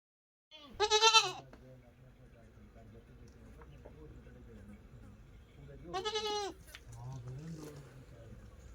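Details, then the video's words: Goat and kid calling to each other: two loud, harsh wavering bleats about five seconds apart over a low hum, with a faint deeper sound near the end. "The Sound Of A Goat And Her Kid Talking"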